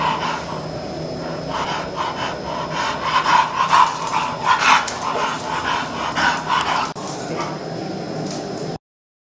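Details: Bulldog suffering brachycephalic syndrome, where an overlong, thick soft palate causes snoring and laboured breathing; rapid rasping, snorting breaths repeated a little over twice per second, loud and uneven, with a faint steady tone behind.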